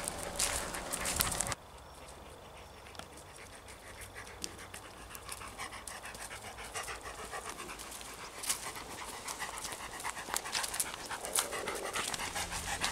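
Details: Panting from a ten-year-old male Labrador cross, a shelter dog out on a walk. Fast, rhythmic, breathy huffs come nearly four per second, briefly masked at the start by a louder rustle, with light handling noise throughout.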